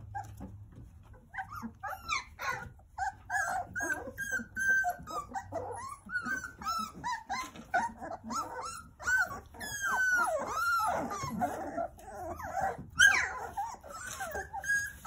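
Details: Jindo puppies, a litter of nine, playing under the care of their mother Sarang: a busy chorus of squeaky whines and yelps, several rising then falling, some louder squeals near the end, with scuffling and rustling throughout.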